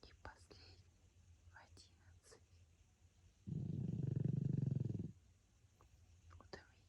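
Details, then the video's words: Sleeping pug François letting out a single rough, rumbling snore of about one and a half seconds, surrounded by soft whispered words. "храп мопса Франсуа"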